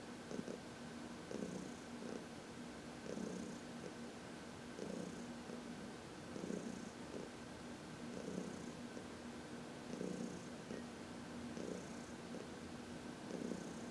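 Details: Massaged in the sun in March 2021, senior cat Heidi purrs in an even, unbroken rhythm, each breath cycle lasting under two seconds, about 36 per minute, quiet room otherwise.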